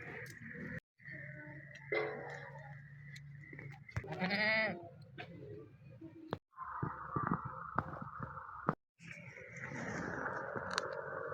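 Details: Teddy breed goat on a Pakistan goat farm that has just given birth to three kids; one short, quavering, wavering bleat rises midway, surrounded by low background hum, knocks and handling noises.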